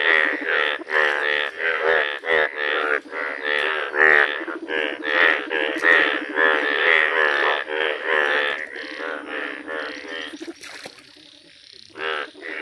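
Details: A village chorus of yellow Indian bullfrogs: harsh, pulsing croaks repeated over and over in quick succession. The calling thins out near the end, leaving a short quieter stretch before a final burst.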